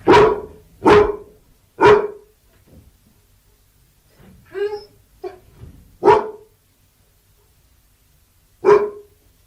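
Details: Labrador Retriever barking, single loud barks spaced a second or more apart, with softer whining, yelping sounds in the middle and faint background hum.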